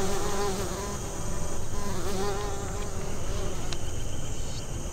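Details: Western bumblebee pollinating American Basswood blossoms; close, loud droning wingbeat buzz with a wobbling, undulating pitch that swells and fades as the bee moves near, with a brief high click and faint high whine in the background.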